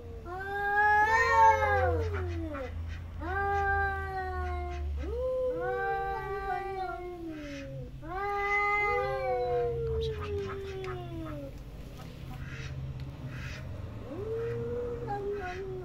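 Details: Domestic cat giving a run of loud, drawn-out meows, each starting high and sliding downward, about five calls over sixteen seconds with short pauses, plus a fainter final meow; low background hum throughout.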